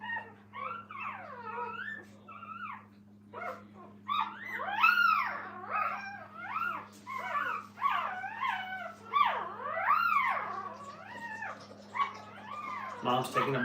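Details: While mother Minnie takes a break from them, the puppies fuss in a dense run of quick, rising-and-falling yips and whimpers, almost continuous, ending in a sudden burst of noise, low hum throughout.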